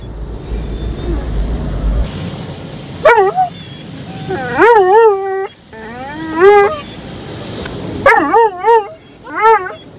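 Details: Dobermann named Roman, on his first ride through an automatic car wash, barking loudly: short whining barks with a wavering rise-and-fall pitch come in bursts. Machine rumble fills the first seconds.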